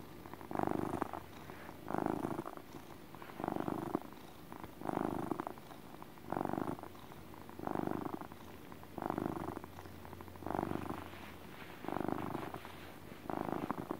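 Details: Relaxed pet cat giving steady motor purrs: a low rumbling drone rising in rhythmic pulses roughly every 1.4 seconds, ten even swells across the stretch, indoors and otherwise quiet.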